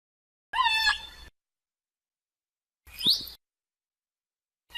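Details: Killer whale producing two brief calls: a harmonic squeal sliding downward and then holding, then after a pause a sharp rising sweep, with a third call starting at the end.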